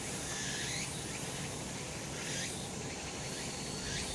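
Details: Cicadas on a sunlit summer mountain: a dense, shimmering high buzz fills the air, with rising swoops recurring about every second over a steady low outdoor rumble.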